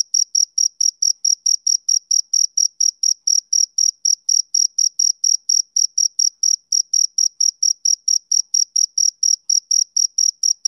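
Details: Rhythmic summer-evening song of a male cricket, a continuous run of sharp, high-pitched chirps at a quick, nearly metronomic pace of about four per second over eleven seconds, against complete silence.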